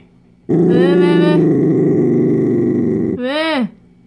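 A Dachshund growls low and steadily for nearly three seconds, a rough, throaty rumble defending its chew. A short human call follows at the end.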